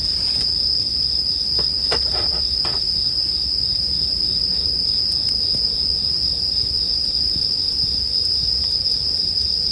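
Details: A continuous shrill ringing of bell crickets holds one high pitch, layered over a soft campfire with a brief cluster of crackles near two seconds and scattered pops afterward.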